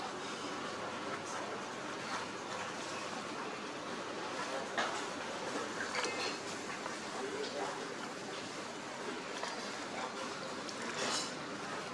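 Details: Talking over a steady rattling, train-like background noise, with no animal voice heard.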